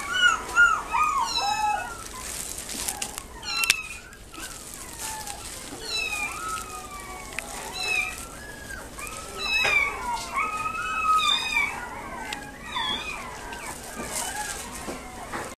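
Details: Chihuahua × Maltese mix puppy in a pet shop in Nagoya, Japan: high, sliding whines and yips come repeatedly and overlap, some rising and falling in pitch, amid faint shop background noise.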